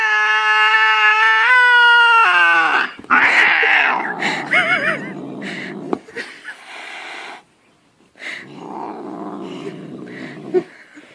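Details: Angry domestic cat, Vasik, hitting out with a paw while being soothed: a long, steady, harmonic yowl that wavers and then drops in pitch, followed by a person speaking Russian and some scuffling.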